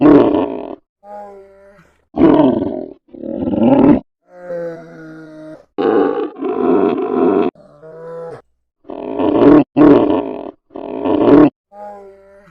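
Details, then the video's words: Polar bear making a mix of loud, coarse grunting roars and softer, clearly pitched moaning calls with rich overtones. The calls come in uneven bursts separated by short pauses, several of them strong and rasping. "FUNNY POLAR BEAR NATURAL SOUNDS"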